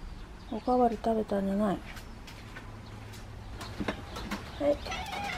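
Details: Stray mother cat, living at a house with her son and daughter kittens, calls for the woman when she wants something: three short, curved, tonal meows close together, then one more meow after a pause, with quiet background noise.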